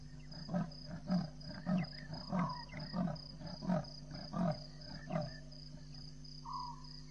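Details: Leopard sawing at 02:45 on 28 March 2017 at Djuma Dam, Djuma Game Reserve, before walking across the dam wall: about nine deep rasping grunts, evenly spaced roughly every 0.6 seconds, over a steady insect hum and faint bird notes.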